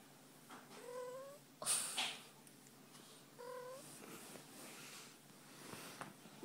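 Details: Female house cat enjoying a belly rub gives two short upswept meows about two and a half seconds apart, with a brief rustling burst of handling noise between them.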